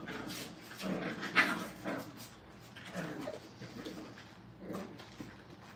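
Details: Brittany puppies crate training in a kennel, repeated whining whimpers and small yelps about twice a second, irregular and overlapping, in a small indoor space.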